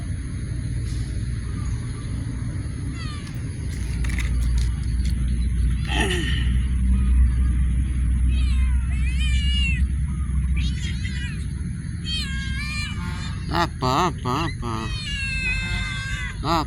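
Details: Cats active inside a warehouse: a run of harmonic, wavering meows, some rising then falling, cluster in the second half, several overlapping quickly, over a steady low hum and a faint high electrical whine.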